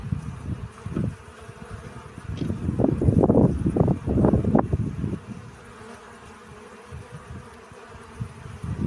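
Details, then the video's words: Bee collecting pollen, its low droning buzz rising and falling in uneven swells, loudest and densest in the middle stretch, then fading to a soft hum with occasional closer passes near the end. "Relaxing Bee Sounds. Сбор пыльцы."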